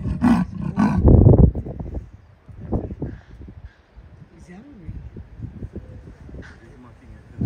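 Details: Female leopard on her territorial patrol, vocalising: a few loud, deep rasping strokes in quick succession at the start, then weaker, quieter grunting strokes trailing off over several seconds.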